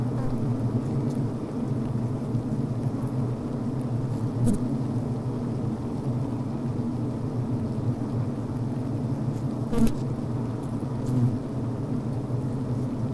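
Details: Inside a healthy honey bee hive at the brood frame, workers fan, chew and make beeswax comb: continuous deep buzzing drone with faint higher overtones, a few short crackling taps scattered through, one sharper burst partway along.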